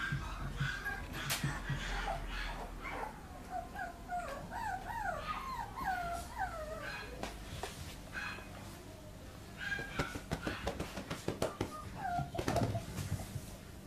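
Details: Mizuna, a 117-day-old female Papillon puppy, white and red sable, born 16 January 2014, filmed 13 May in Chiba, gives a run of wavering, quavering high whines mid-clip amid clicks and handling noises.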